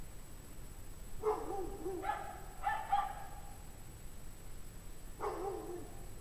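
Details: Pack of unhappy dogs barking at 5:00 PM on Friday, January 9, 2009, in 17°F cold; a handful of harsh, harmonic barks, some drawn out into short yowls, with a gap before a final bark.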